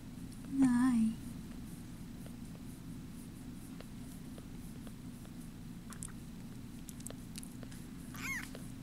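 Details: Bottle-fed foster kitten from a litter taken in at about ten days old: a loud wavering mew near the start, then a fainter high squeak near the end, over continuous low room hum and scattered clicks.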